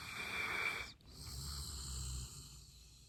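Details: Golden Retriever snoring: a short wheezy, whistling breath lasting under a second, a brief pause, then a longer softer hissing exhale over a low indoor hum.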